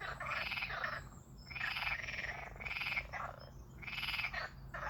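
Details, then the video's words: Frog noises described as strange: long raspy pulsed croaks lasting about half a second to a second, coming roughly once per second, each a buzzy trill with a faint low hum behind. "Strange Frog Noises"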